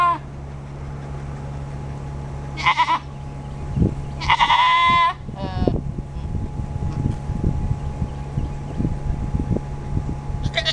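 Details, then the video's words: Nigerian Dwarf goat doe (female) in standing heat, ready for a buck: three strong, wavering nasal bleats, the longest about a second, separated by quiet stretches with low thumps and a constant low electrical hum. "Nigerian Doe in Standing Readiness"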